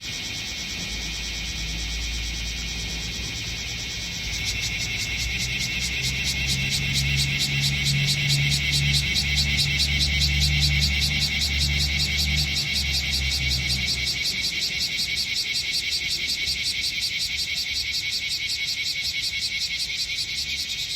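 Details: Bear cicadas (Cryptotympana facialis), several gathered on a potted tree set on artificial turf in Minokamo, Gifu, Japan, July 13, 2024; dense buzzing chorus rising in loudness after a few seconds, steady rapid pulsing, with low engine-like rumble underneath.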